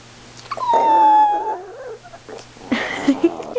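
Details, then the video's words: Chihuahua named Precious, demanding and excited, pretending to be her inner wolf: a loud sustained howl gliding slowly downward for nearly a second, followed by lower wavering whines and a burst of noisier yelps. "howling and demanding chi"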